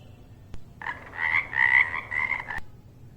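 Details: Frog croaking in a rough, raspy burst of about two seconds. The burst is broken into a few pulsing segments, with sharp clicks just before and after.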